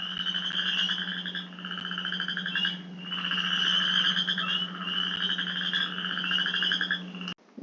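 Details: Male Western chorus frogs in Michigan give spring breeding calls: quiet, musical, rasping pulsed trills, each ascending and lasting one to two seconds, like a fingernail drawn across a fine-tooth comb.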